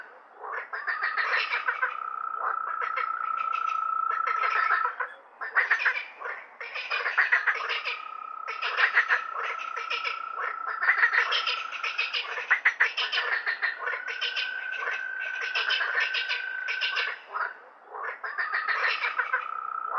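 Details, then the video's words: Frogs calling at night: a dense chorus of overlapping rapid croaks and clicks, with a steady whistled tone held for about four seconds, breaking off and returning roughly every five seconds. "frog Sound effect on night"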